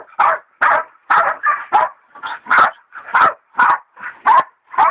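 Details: Baying a big sow hog, the hog dogs Dixie and Dollie, including the leopard dog Dollie in training, give steady loud barks, nearly one a second, each a harsh mid-pitched burst.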